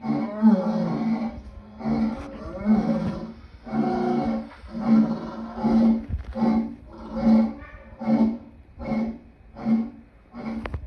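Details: Lion roaring in a rough, rasping series of heavy bursts that become shorter and more evenly spaced, about one each second, toward the end.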